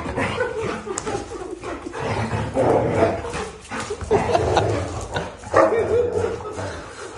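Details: Fighting Labrador Retrievers, named Zera, Tom, Foxy and Alabel: scattered short barks and high yips between scuffling sounds, loudest in bursts near the middle and end, while people talk in Tamil alongside.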